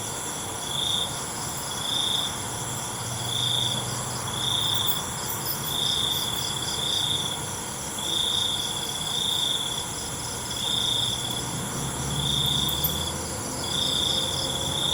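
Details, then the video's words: A nighttime cricket chorus: short, high, pulsing trills come in quick succession, steadier in the second half, while a faint low hum rises and fades beneath the continuous insect hiss. "ALUNAN CENGKERIK MALAM"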